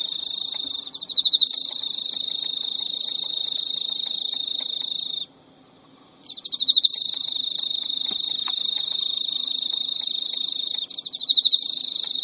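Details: Captive Emma field cricket male in Japan at midnight, early September 2011, persistently serenading a female who ignores him; high continuous trill broken by one silent second, with loud ticking bursts where the song resumes.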